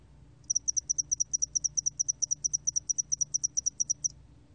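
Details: Spotted-wing hairy cricket song from Korea's National Institute of Biological Resources, 2020: a steady train of short, high, clicking chirps, about eight each second, lasting roughly three and a half seconds over a quiet low hum.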